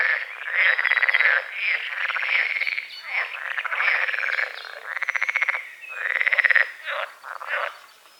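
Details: Morning frogs croaking over a small lake beside a forest at dawn; bursts of fast pulsed, rattling croaks rise and fall in separate waves, several callers alternating with short gaps between phrases.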